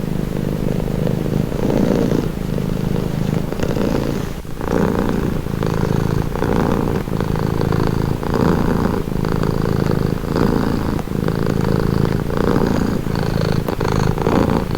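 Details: Domestic cat purring steadily, a continuous low rumbling drone with breathing cycles swelling and easing about every second or so, close and even throughout with no other sounds.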